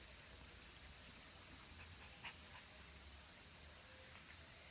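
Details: Cicadas singing in late summer at Kabusanji, a mountain temple in Takatsuki City, Japan, where minmin cicadas and tsukutsukuboshi call; a steady, shrill high-pitched drone holds unbroken throughout, with faint low rumble beneath.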